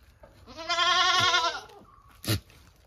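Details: A goat from a small farm herd gives one loud, wavering bleat of about a second, rich in harmonics and slightly trembling, followed by a sharp knock.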